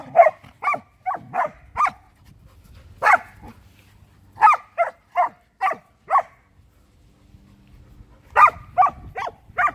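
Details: Luma the Samoyed and young Keeshond Zuko at play in a winter yard, a steady run of repeated sharp barks, roughly two each second, broken by a brief quiet gap before another rapid burst.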